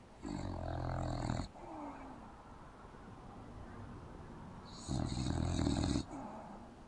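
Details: Open-mouthed English bulldog sleeping on a couch indoors produces two loud, gravelly snores roughly four seconds apart, each a rumbling buzzy inhale lasting over a second, with a faint whistling exhale trailing after.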